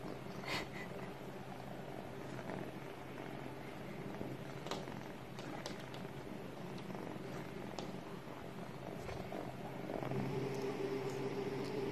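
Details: Bambino cat, a Sphynx Munchkin kept as a pet, purring in a steady low rumble of about four pulses a second, with faint scattered clicks and rustles in the background.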